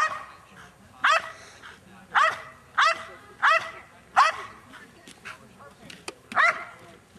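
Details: A female Belgian Malinois, 7.5 years old, barks at a decoy in a French Ring super selection at the 2009 NARA Championships, which includes guarding an object and a face attack. About seven loud, clipped barks come at irregular intervals.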